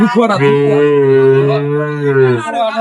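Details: Cattle at Ambari market (Ambari Hat), Dinajpur, Bangladesh, on 23 May 2025, where improved-breed dairy cows and calves are sold: one long, steady, low moo held for about two seconds, with brief voices at the start and end.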